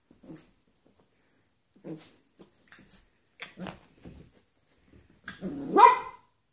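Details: Dog on its first day alongside a second dog, one a Xoloitzcuintli (Mexican Hairless) and the other a Bull Terrier; short scattered bursts of barking end in a louder, harsher bark, with a person speaking nearby.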